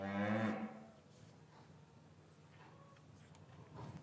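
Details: Cows lowing gently in an English cattle yard on a winter afternoon after the calves were separated from their mothers: a brief, loud, rich harmonic moo opens, fading into calm low-pitched farm ambience with soft scattered knocks.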